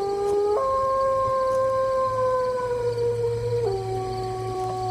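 A wolf gives a long, smooth howl that jumps up in pitch, holds, then drops lower.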